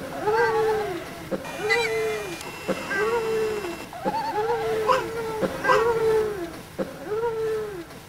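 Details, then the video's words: Drawn-out, rising-then-falling wails from the pet cat Pepper, her yodel repeated about six times in steady succession, each with a bright harmonic stack, separated by soft clicks in a quiet room. "Pepper Yodels"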